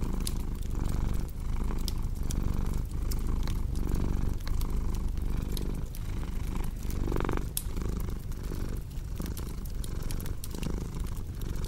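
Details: Cat's steady, deep purr rising and falling with its breathing in a slow rhythm, layered with the snapping and popping of a cozy fire burning nearby.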